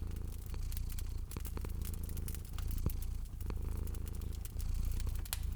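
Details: Purring from a cat sleeping at a fireplace in cozy spring ambience: a soft low rumble pulsing in gentle breath cycles, with bright intermittent crackles and pops from the fire.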